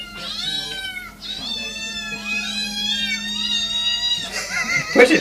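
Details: Several cats meowing at once, overlapping high, wavering cries that bend up and down almost without pause, with a steady low hum underneath and a sudden burst of noise at the end.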